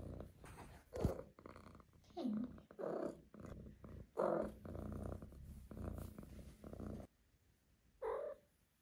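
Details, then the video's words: Five-month-old female Maine Coon kitten indoors purring with a low rumble, broken by a few short chirping trills and soft breathy sounds. A woman speaks briefly at the close. "Maine Coon Kitten Makes Cute, Funny Sounds"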